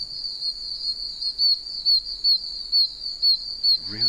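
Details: Many tiny one-inch oak toads calling from puddles in wet wilderness, almost deafening: piercing high chirps, roughly two per second, rising out of a continuous shrill drone; a man's voice briefly at the close.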